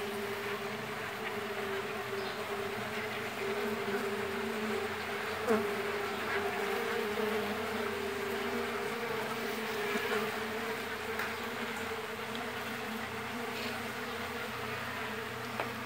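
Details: Steady droning hum from a crowded Mandaçaia stingless bee nest with large brood discs during colony splitting, unbroken for sixteen seconds, with a brief tap midway and light handling noises scattered through.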